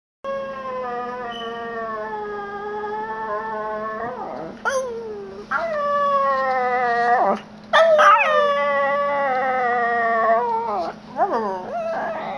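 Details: Almost seven-year-old male Yorkshire Terrier howling along when his owners howl or make weird noises, really getting into it; long sustained tonal howls, first level then sliding up and down in pitch, with a steady low hum underneath.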